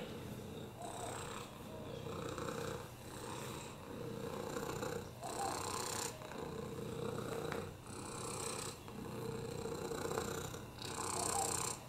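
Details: Oliver, a lap cat with FIV, a broken hip and upper respiratory infections, purring on a lap; a rhythmic rumbling purr swelling with each breath roughly every two seconds, breathy hiss on the louder phases.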